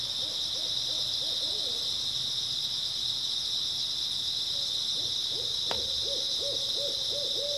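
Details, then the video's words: Constant high chirping of grass insects on an early autumn night, accompanied by two bursts of rapid owl hooting and a single sharp click just before the second series. "초가을 밤부터 새벽까지 백색소음 풀벌레 소리"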